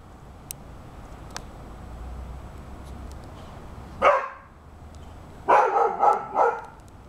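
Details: Rhodesian Ridgeback named Dude, eight months old, barking at a cat and squirrel running along the fence: one loud bark, a pause, then a quick run of four barks, over low background hum.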